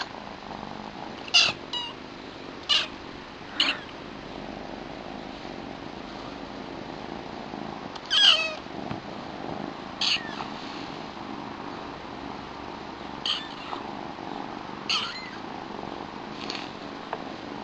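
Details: A pair of new kittens, a small female with white markings and her black brother. Brief, piercing high mews come in scattered bursts, some in quick pairs, with quieter squeaks between over a soft background hiss.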